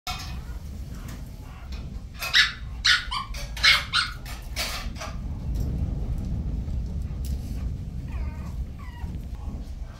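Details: Miniature Schnauzer barking indoors: about five short, sharp, broadband barks in quick succession in the first half, followed by quieter high wavering squeaks or whines near the end over a low background rumble.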